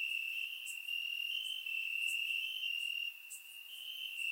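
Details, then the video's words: Crickets chirping in grass on a warm summer night in Bulgaria, recorded with a surround microphone: a steady, dense high trill that swells and fades, with brief sharper high ticks scattered every second or so. "Crickets Chirping at Night"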